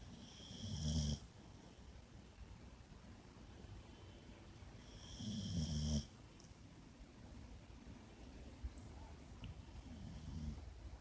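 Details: Boxer named Bacon sleeping on a bed, snoring loudly: two long rough rattling snores about five seconds apart, each about a second long, with quiet breathing between them.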